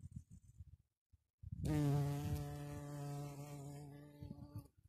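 A red-tailed bumblebee gives a low, steady, droning buzz that holds one pitch for about three seconds.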